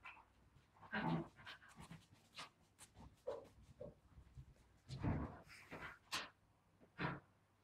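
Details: Wire fox terrier named Charlie, a pet indoors playing with an invisible ball, panting in quick breathy bursts with rustling and scuffling between them.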